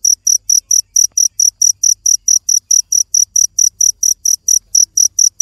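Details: Insistent high chirps from a cricket, crisp bursts following each other at an even pace of about four a second, with only a soft low hum behind.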